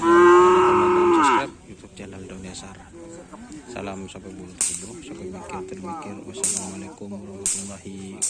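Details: Cattle of a karapan sapi bull-race team: a loud, sustained moo of over a second that drops at the end, then murmuring voices and scattered knocks in the background.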